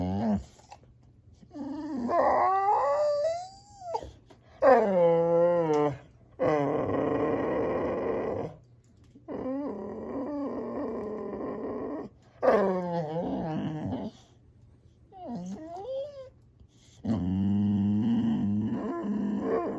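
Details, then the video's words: Funny dog sounds from a male Boxer: a mix of higher sliding whines, yips and rough growly grumbles in separate bursts, with quiet gaps between outbursts. "Boxer makes them Funny Dog Sounds"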